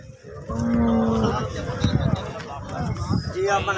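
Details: Holstein Friesian cow offered for sale, said to give 30 liters of milk, gives a short steady low moo of under a second, over a murmur of background noise and faint music.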